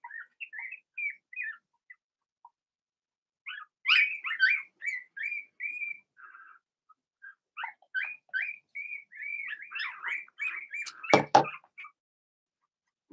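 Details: Squeaking Blenheim Cavalier King Charles Spaniel puppies, two females and four males, in a home puppy pen. Thin high chirps and whines come in busy clusters with short pauses, and a sharp knock sounds near the end.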